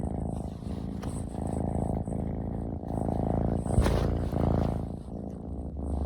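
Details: Ragdoll kitten Omochi, a male born 16 June 2022, kept indoors at a family home in Japan, purrs while being affectionate: a steady, low, rumbling purr that throbs about four times a second and continues through the whole stretch, with faint rustling.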